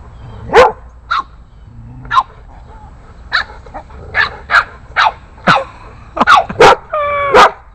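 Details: An 8-week-old Boston Terrier puppy stands up to larger neighborhood dogs with scattered short, sharp barks and yips, some clustered in quick pairs. People talk and urge the dog on in between.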